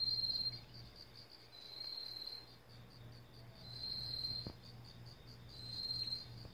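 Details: In autumn in a vegetable garden, a Korean katydid gives a high, pulsing metallic buzz like a whistle with a metal ball inside, rapid chirps strung into a steady trill.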